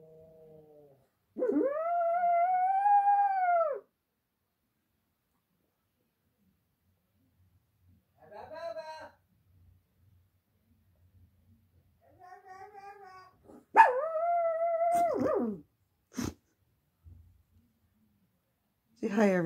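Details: Domestic dog howling in reaction to a passing ambulance. Two drawn-out howls, each rising then holding steady for about two seconds, separated by a long pause with brief softer whines and some human talking.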